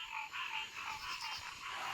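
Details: Pond frogs hollering in a dense chorus at the pond, a steady high trilling and croaking wall of sound.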